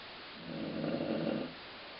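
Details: Colline the dog snores, a single rough, throaty inhalation of roughly one second that resembles a growling stomach, surrounded by quiet room hiss.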